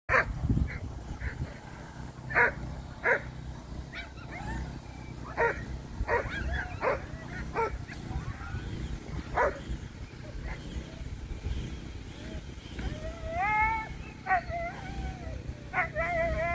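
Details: Presa Canario at the UKC Premier Nationals 2023, during a coursing aptitude qualifying run; sharp barks and short high yelps come in irregular bursts over a steady low rumble, with a few wavering whines near the end.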